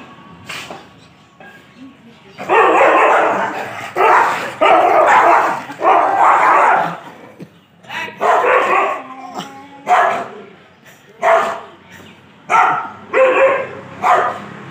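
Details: Dogs fighting: loud, harsh, rasping snarls and growling barks in long noisy bursts, several lasting over a second, broken by short pauses and sharper yelps toward the end.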